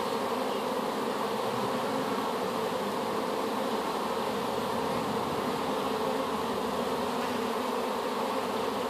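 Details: Newly hived honey bee swarm, taken from an apple tree, gives an unbroken, even buzzing hum, many bees droning together at a constant level.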